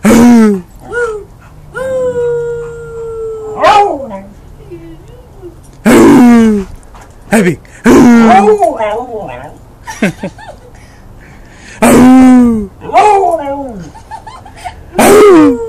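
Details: Pet dog barking on command as a person repeatedly urges it to go again; drawn-out, wavering howl-like barks with falling pitch, repeated every couple of seconds and interleaved with human speech.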